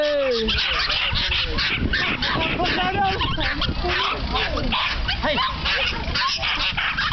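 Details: Many excited Norfolk Terriers yipping and barking at an annual racing meeting in the Netherlands, eager to race; dense overlapping high yelps and whines with a sliding whine at the start, amid crowd chatter throughout.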